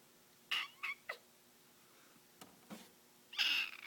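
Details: Rescued kitten found in the middle of a road, apparently hoarse or clogged up: faint, scratchy, squeaky cries, three short ones in quick succession, then two weak bursts and a longer strained one at the end.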